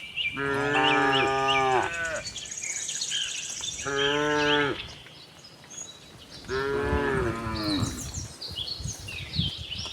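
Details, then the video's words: Cows roaming around a cattle farm looking for fresh grass; three drawn-out lowing moos about two seconds each, evenly spaced, with bird twitter in the background. "cow mooing sound"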